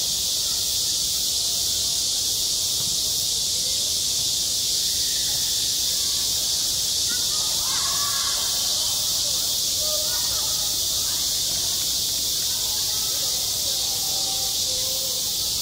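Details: Summer cicadas droning at a schoolyard, a loud continuous high whine, while faint distant voices rise and fall underneath midway through.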